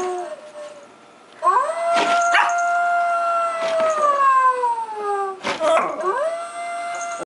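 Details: Siberian Husky howling indoors in a contest with an animatronic Halloween wolf decoration. Long sustained howls glide slowly downward, some overlapping, broken by a short rising yip near the middle before another steady howl.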